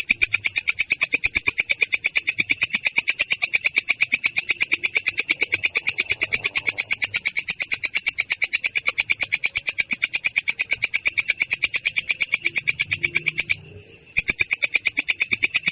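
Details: Rolling ngerol stridulation of a belalang kecek katydid, clear and coarse-toned: fast, metronomic rasping pulses continuing for many seconds, broken by one short silence near the end before resuming.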